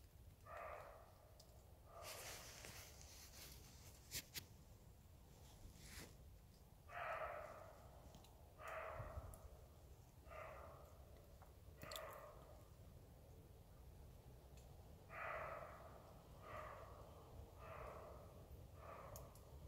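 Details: Roe deer barking: a series of short, harsh, hoarse barks spaced roughly one to three seconds apart, fairly quiet against a steady low background hiss.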